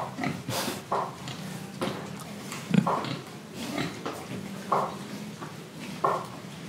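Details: Indonesian pigs grunting, with short nasal oinks repeated about every second over a steady low hum and rustling.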